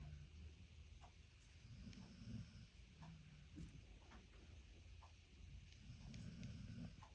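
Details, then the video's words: American Staffordshire Terrier named Boy snoring: faint, low rumbling snores rise around two and six seconds over a steady quiet background hiss. "Амстафф Бой храпит"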